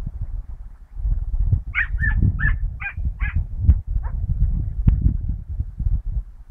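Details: Dachshund out after rabbits, 22 August 2012, giving about six sharp, harmonic yelps in a rapid series spaced roughly half a second apart, with a constant deep rumbling noise, probably wind, underneath.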